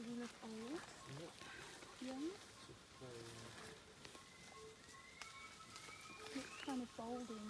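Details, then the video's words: Wild chimpanzees in Uganda, vocalizing in the trees and on the ground: loud, rapid rising hoots repeated in quick bursts, some sliding upward at their ends, over rising bird whistles and a steady high insect tone. "Chimpanzee Tracking in Uganda - Vocalization in the wild - In the trees, and on the ground"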